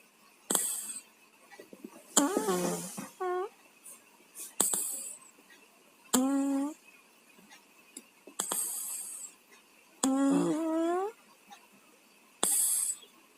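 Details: Two house cats, Tayen and Lilu, sleeping with colds and snoring: rasping hissy breaths alternate with whistling, downward-sliding nasal squeaks, repeating roughly every two seconds in a quiet room.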